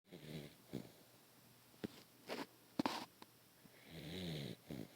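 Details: A Beagle snores loudly in deep sleep after a long chase after birds. Rough, breathy snores come in bursts about every two seconds, with faint clicks and quiet pauses between breaths.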